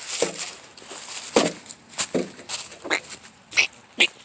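A squirrel gives short, harsh chucks and barks at irregular intervals over a steady high hiss.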